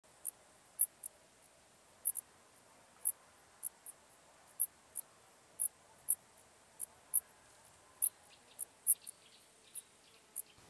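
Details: Common Dark Bush-cricket recorded at Tuttlingen, Germany, on 8 October 2022: short, very high, scratchy chirps repeated irregularly, roughly two to three per second, against a quiet background.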